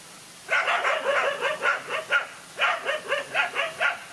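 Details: Dogs in a fight, a lone dog against two males: a rapid run of sharp barks about eight a second, pausing once near the middle, then more barking, with no other clear sounds.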